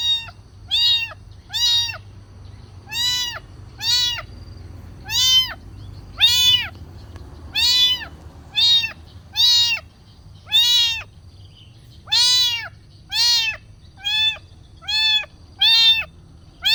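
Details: Kitten asking for food with a steady run of short, bright, arched meows repeated roughly every second, evenly spaced and loud, with a faint low hum underneath.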